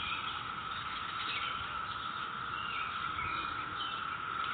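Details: Neighborhood cicada chorus recorded May 22, 2021, a loud continuous whining drone at a constant pitch with no breaks, faint bird chirps in the background and a soft low rumble.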